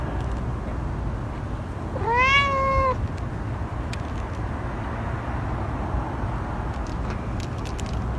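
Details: A single clear meow from a cat, about one second long, arched and harmonic-rich, standing out over a steady low background hum.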